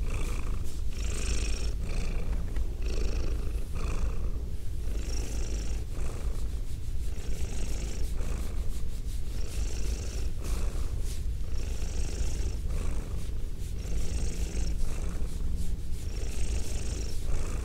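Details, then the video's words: Close binaural recording of a purring female house cat with a goatee; deep continuous rumble swelling with regular airy hiss pulses roughly every one and a half seconds through the whole stretch. "ASMR Cat Sounds - Soft-Spoken, Purring, Licking, Petting"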